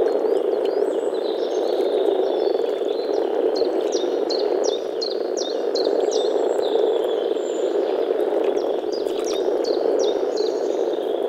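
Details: A spring breeding gathering of European common frogs in a forest pond, males producing an unbroken low grumbling drone from their vocal sacs, while a bird adds quick series of high chirping notes around four to six seconds and again near nine seconds.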